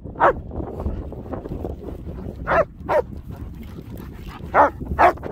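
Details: Two German Shepherds, Nico and Zeeva, on a hill walk near Hawick. Scattered loud barks, one alone, then pairs close together, over a steady background of wind and ground noise.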